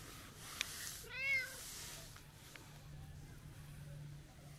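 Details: Brown tabby-and-white stray cat, talkative and affectionate on a New Year greeting walk, utters one short, arched meow rising and falling within half a second, against steady hiss and faint hum.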